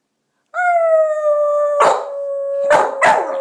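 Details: Pet dog howling along with its owner: a long steady tonal howl with clear harmonics, broken by short noisy bursts, likely the owner's voice joining in.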